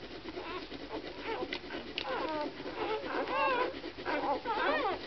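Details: Several Samoyed puppies from FIN CH Lumijedi x FIN CH Mellow Smile Chewanda whining together, a dense chorus of bending, warbling cries that swell toward the end, over a soft indoor background.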